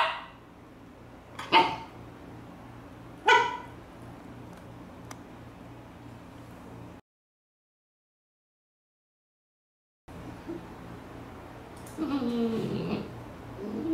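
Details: Young Siberian Husky Latte, kept indoors, demands play during computer work: two sharp, high yips about two seconds apart, a pause, then a longer wavering, whining vocal call near the end, over steady room hum.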